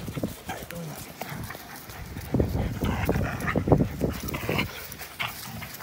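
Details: Two dogs, an American Pit Bull Terrier and a Belgian Malinois cross, play together on April 21, 2019. Their rapid, rough breathy bursts run about three per second, with low thumps and a few faint human voices.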